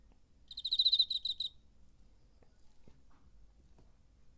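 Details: Cricket recorded in September 2019 on a DR-05 recorder, its wings producing a single high, pulsed chirping burst lasting about one second, then only quiet background.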